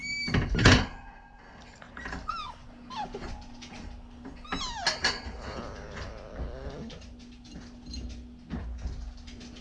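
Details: Siberian Husky puppy playing in a pen indoors, giving short high whines and yelps with sweeping, harmonic pitch, one loud cry near the start and a cluster midway, amid clattering, knocks and thumps of play.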